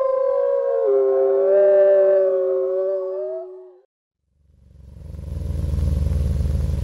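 A wolf gives one long, smooth howl that holds steady, dips slightly and fades after about four seconds; a low rumbling noise follows.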